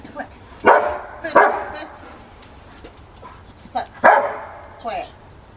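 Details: Rottweiler Carma v Eiche Park in a training session on February 23, 2021, working on speed for a toy: sharp, harsh barks, two in quick succession, then a pause before another pair, with human voices alongside.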